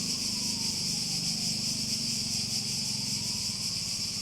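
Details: Cicadas in a relaxing nature setting: a steady, shrill, high-pitched drone that pulses rapidly and evenly throughout, over a lower, rhythmically throbbing buzz.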